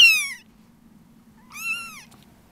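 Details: Two high, thin mews from a Munchkin kitten born 19 November 2017, the first falling and the second arching up then down.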